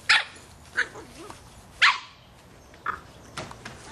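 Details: Three-and-a-half-month-old Boston Terrier puppy barking at a soccer ball; five short, bright barks, the first two loudest and the later ones softer, with quiet gaps between.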